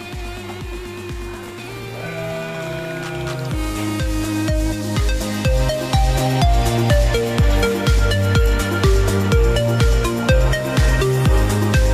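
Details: Electronic dance music with a steady pounding beat and melodic synth lines plays throughout, with no animal sounds.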